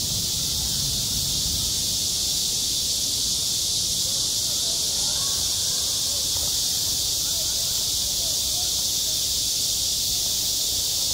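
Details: A steady high-pitched cicada drone fills a summer school playground, even and continuous, with faint low rumble and murmuring below.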